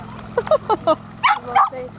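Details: Tricolor Shetland Sheepdog at a dog beach near Nijkerk, Netherlands, 3 August 2011: a burst of short yapping barks followed by two louder, harsher barks, with people talking in Dutch.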